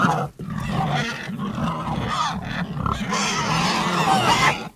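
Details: Several pigs grunting and squealing together, a steady low rumble of grunts under harsh, wavering higher squeals running throughout with barely a pause.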